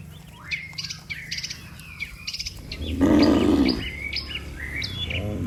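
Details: A herd of dozens of cattle filing along a road toward home; a short, low moo breaks through constant bird chirps and twitters.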